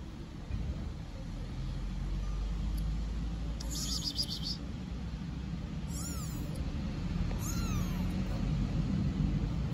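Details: Stray kitten living on an Istanbul street calls for its mother cat with three high, arched meows that rise then fall, spaced about two seconds apart, over steady low traffic rumble.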